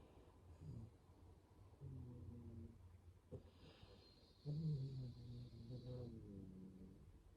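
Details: Dog snoring softly, with low rumbling snores and breathy rasps returning every second or two, some carrying a faint nasal whine, plus a brief higher hiss near the end.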